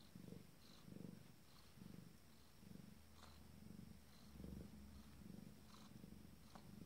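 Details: Abyssinian cat, female with her first litter, a few minutes before giving birth, purring steadily: about eight low rumbling pulses in seven seconds, each breath cycle swelling and fading in an even rhythm, in a quiet indoor setting.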